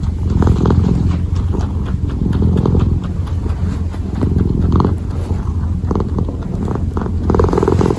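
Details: Close-up purring of a kneading kitten: deep, even, vibrating purr runs without pause, swelling slightly in places, with scattered light tapping and rustling from the paws working.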